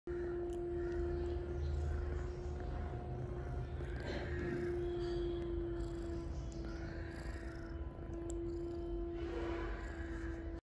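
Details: Cat (Felis catus), purr.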